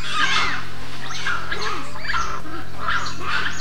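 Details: Assamese macaques reuniting as a troop. Some cuddle and chatter their teeth while males mount each other and chirp loudly, seemingly from joy and excitement. Bright chirps come in short clustered bursts about every half second over soft background music.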